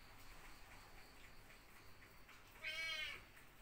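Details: Cats suckling milk from a dog. After a quiet start, a single short, high-pitched meow with a clear harmonic stack sounds near the end and lasts about half a second.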